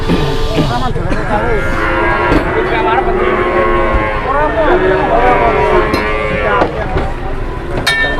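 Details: Several cattle low at a market where a fat cow would not get up, their moos bending up and down in pitch and overlapping, amid constant crowd chatter and a few sharp clanks.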